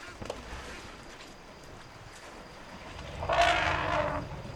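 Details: A struggling newborn African elephant, needing its mother's help, gives a short, harsh, brassy trumpet after a few seconds of quiet background.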